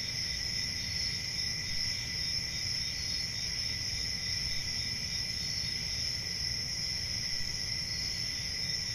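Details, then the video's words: Forest crickets on a summer night keep up an even, ringing wall of high trills, unchanging from start to finish, backed by a faint low rumble. "10 Hours Relaxing Cricket Sounds For Sleep"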